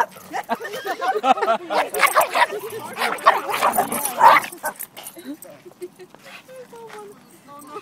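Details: A Pekingese dog fighting a Siberian Husky: dense, overlapping harsh barks and snarling for about four seconds, then quieter thin, wavering whines and whimpers as the scuffle dies down.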